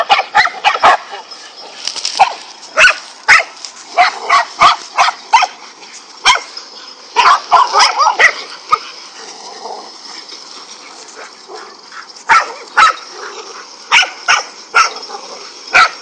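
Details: Dogs, five of them, attacking a king cobra; sharp barks in irregular clusters with pauses, some yips mixed in, and a quieter stretch in the middle before the barking resumes.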